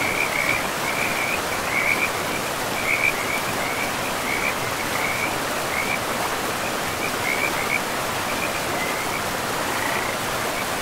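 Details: High, rattling frog trills come in quick repeated bursts near a forest river among moss-covered ground, almost continuous for the whole stretch, partly masked by the river's steady, hissing flow.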